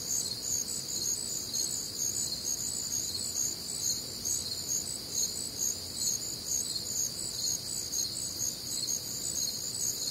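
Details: Nocturnal cricket chorus recorded one warm, humid Midwestern summer night: layered high-pitched chirps pulse continuously at a brisk, fairly regular pace, with quiet low background noise.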